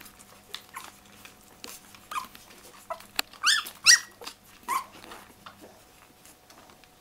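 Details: Nine-day-old English Springer Spaniel puppies from a kennel litter, whimpering and squeaking: short rising squeals scattered irregularly, with a louder cluster of high, wavering cries near the middle, over a faint steady hum indoors.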